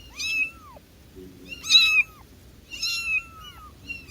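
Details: Domestic cat (kitten); meow; kitten calling for its mother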